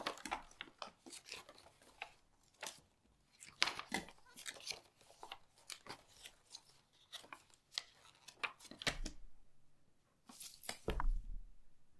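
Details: Crisp crinkling, snapping and rustling of small pieces being handled indoors, in irregular bursts.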